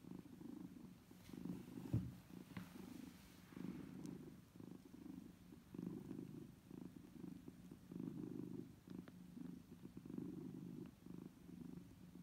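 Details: Kittens nursing from their mother make a steady purr, a low rumbling throb that swells and fades with each breath.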